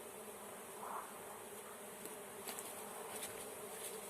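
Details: Continuous even hum of a honey bee swarm during capture by beekeepers, with faint ticking and knocking sounds over the drone.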